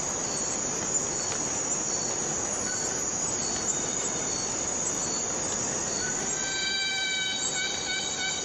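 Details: A cicada in the Borneo rainforest fills the air with a steady, hissing high drone that never lets up.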